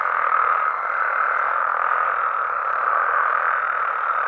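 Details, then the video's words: Many frogs and toads croaking together after dark in Mexico, a thick, even wall of calls with small pulses of loudness and no other clear sounds. "Mexican Frogs & Toads Sounds"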